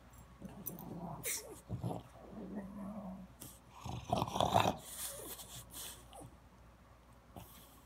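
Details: French Bulldog in Palo Alto, California, giving rapid snuffling grunts and a short whiny hum, with a louder raspy burst midway and soft rustling noises around it.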